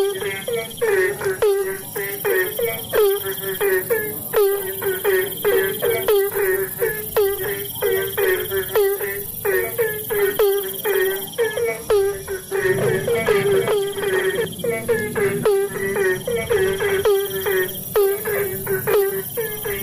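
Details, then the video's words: Rainy-season chorus of Asian common toad: a long, continuous series of nasal, harmonic croaks, several per second at times. A steady thin high tone persists throughout. "Suara katak Bangkong"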